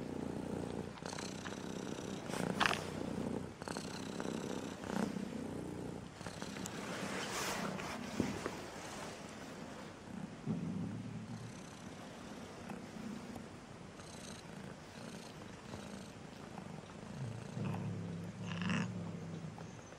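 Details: A striped cat, reportedly angry today over a song it does not like, purrs in a long, low, pulsing rumble that rises and fades, with scattered clicks and rustling throughout.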